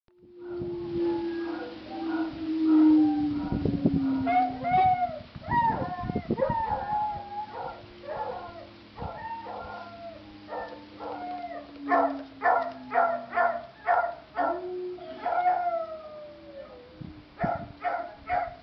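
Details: A male beagle, listening to dogs barking in a YouTube video and tipping his head, gives a long, falling howl, then sharp barks answering the recorded barking.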